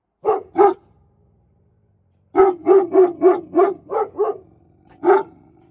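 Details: Two booming barks from Presa Canario guard dogs, a pause, then a rapid string of seven powerful barks ending with a single last bark.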